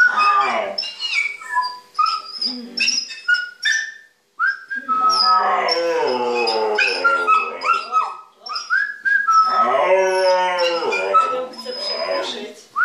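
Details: Husky-malamute mix dog joining a 'music lesson' with a young border-fox mix puppy: broken yelps and whines give way to two long wavering howls, mixed with high whistled notes throughout.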